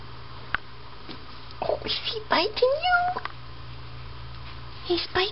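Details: Two-week-old Siamese kittens playing, licking and wrestling indoors: scattered short, thin mews, including a few rising, sweeping squeaks in the middle, over a steady low hum, with light handling noises.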